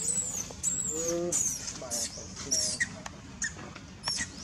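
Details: Monkey Julina crying hard in pain after being bitten by Jade: thin, very high squealing cries sliding downward in short repeated bursts, with lower tonal whimpers beneath and steady background hiss.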